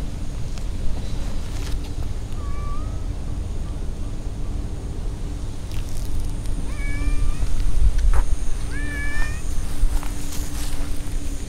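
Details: Stray cats lounging in a park with a large pond; three short, faint, rising meows come at scattered intervals, partly buried under a steady low rumble of wind and distant traffic.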